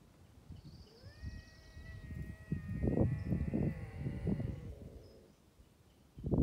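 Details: Wild bobcat near the Sullivan fire road in Los Angeles: one drawn-out, steady harmonic yowl lasting several seconds, partly covered by loud low rumbling and buffeting noise.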